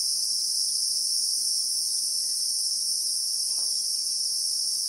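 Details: In South African bush with acacias, Christmas beetles (Anoplognathus) produce a ceaseless shrill buzzing in real time, steady and high; a brief soft swishing sound passes midway through.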